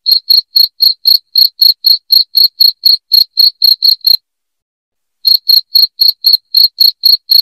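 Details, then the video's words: Loud cricket used as a rat-repelling sound at home: rapid high, piercing chirps about four per second, broken by a pause of just over a second midway, then resuming at the same pace. "SUARA JANGKRIK NYARING"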